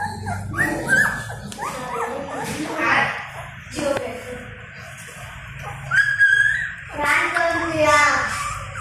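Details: Newborn Golden Retriever puppies, eyes not yet open, hungry and calling for their mother to nurse; thin, wavering whines with bright overtones rise and fall in short bursts, separated by quieter gaps, over a low background hum.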